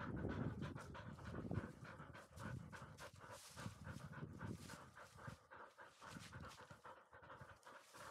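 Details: Field-line Labrador Retriever puppy, 439 days old, after a dash up a slope, panting fast and steadily, close to four breaths a second, with some low thumping and rustle underneath.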